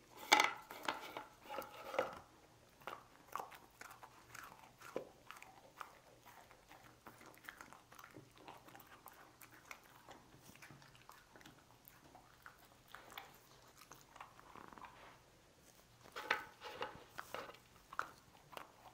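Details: Lucy the dog biting into cookies, a loud crackling crunch at the opening, then scattered chewing noises and another cluster of crunches late on.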